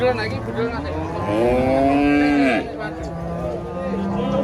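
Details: An enraged giant female cow being loaded under a big tree bellows once loudly, a rising then falling harmonic moo lasting over a second, with low rumbling lows and handling noise around it.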